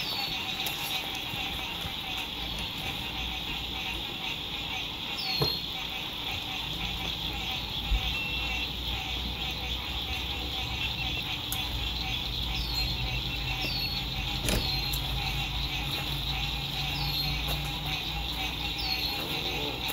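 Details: At a lakeside RV campsite on a spring 2021 evening, frogs keep up an unbroken high trilling chorus as the sun sets. Scattered falling chirps and distant road noise run beneath, with a few clicks from campers moving nearby.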